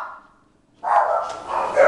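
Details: Bulldog named Dalila; after a faint fading tone, a loud, rough, sustained vocal sound rises at the end and carries to the close without pause.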